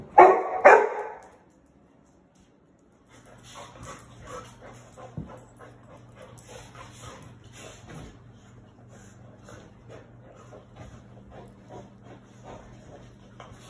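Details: Two Labrador Retrievers, Sadie and eight-month-old Cedar, at play in New Mexico: a pair of loud, rough barks open the recording, then a pause and a long stretch of soft scuffling, panting and faint play noises.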